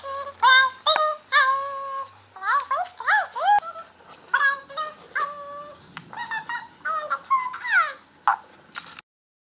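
A Siamese kitten gives a long run of high, drawn-out meows, some wavering and bending up and down.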